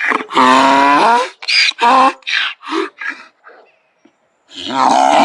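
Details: Donkey giving one strong, drawn-out honk followed by a run of shorter, fading wheezy gasps, then a brief silence before another loud bray begins.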